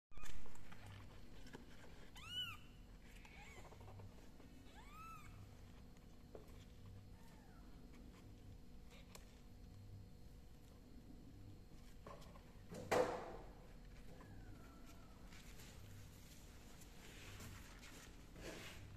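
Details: Small kittens giving a few thin, high arching mews near the start, then long quiet stretches with a steady low hum and a sudden bump midway.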